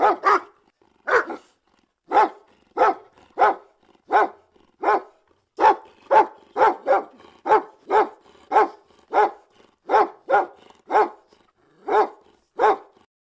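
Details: Dog barking steadily, from a compilation of sounds to make a dog bark: a long run of about twenty sharp, evenly paced barks, roughly one every half second to second, against a silent background.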